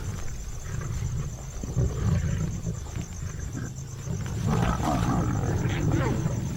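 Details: A pride of Asiatic lions in India feeds on a freshly caught spotted deer, giving deep growls and low rumbling snarls that overlap one another beneath a narrator's voice.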